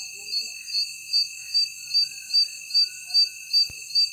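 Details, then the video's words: Night insects calling in the dark: shrill high pulses repeat about two and a half times per second over a steady, ringing high-pitched drone. The pulsing stays very regular, with no other clear sounds. "Strange Noises of Night Insects"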